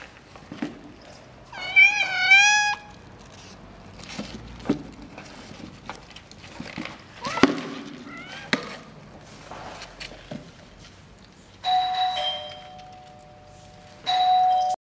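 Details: Kiki the cat, facing a mysterious box, gives a wavering, harmonic-rich meow early on, followed by scattered clicks and rustles. Later come two steady, flat high tones lasting about a second or more each.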